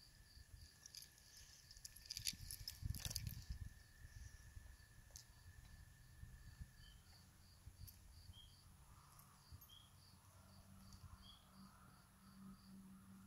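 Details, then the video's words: Spring peeper chorus at a swamp: quick, high peeps run steadily throughout, a few lower notes join midway, and loud thumping knocks break in near the start over a constant low background rumble. "Spring Peepers"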